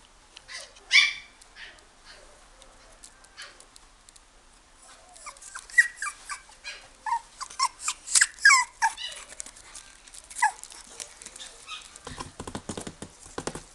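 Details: Toy poodle puppy in a pet shop, 犬の家 岐南店: high, thin whimpers and short yips come in scattered bursts, then grow denser midway. A rapid low clattering follows near the end.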